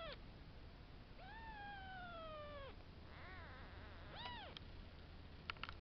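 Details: Five-day-old kittens in a cattery mewing clearly: a short falling cry, then a long drawn-out wavering mew, followed by several quick arched squeaks and a few faint clicks over steady hiss.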